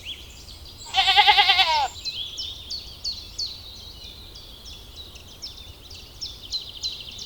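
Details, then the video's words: Grazing lambs in a cool green forest give one strong, tremulous bleat lasting about a second, followed by a run of repeated high bird chirps. "Cute little lambs graze in the cool green forest - Sounds of sheep bleating"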